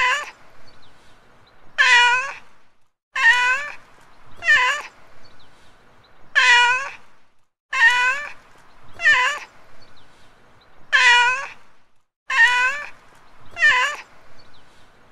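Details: Street cat meowing in a looped sequence of clear, harmonic-rich meows, each about half a second long, falling then rising slightly in pitch, arriving in pairs and triplets with short pauses; faint steady hum underneath.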